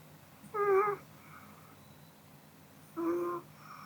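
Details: Pomeranian Kodama dozing in a small room after eating, giving two half-second, hummed, whistly snores roughly two and a half seconds apart, with faint softer breaths after each and low background hum.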